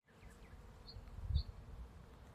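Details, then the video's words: Bees pollinating a blossoming apple tree in a front yard in spring bloom: a low, steady droning hum with a brief swell in loudness near the middle, plus a few faint high chirps above. "Bees Buzzing In Apple Tree"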